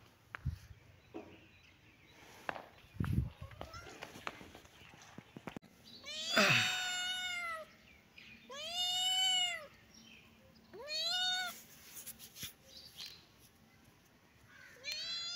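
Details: Kitten and cat playing in a happy mood, meowing: several clear harmonic meows after early thumps and rustling, each arching up then down, spaced about two to three seconds apart.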